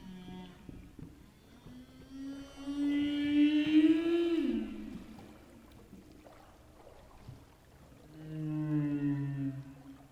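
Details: Humpback whale song: long, moaning tonal units with rich harmonics, one swooping up then sliding down, from a whale singing underwater at night.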